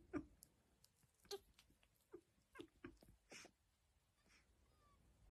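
A fennec fox gives short, squeaky yips and whines at an uneven pace.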